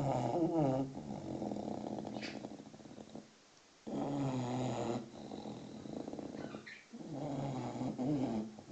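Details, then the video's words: Six-month-old English Bulldog puppy asleep, snoring in long rasping, droning breaths, each lasting one to three seconds with short quiet gaps between; faint bird chirps sound in the background. "Snoring bulldog (6 months old)"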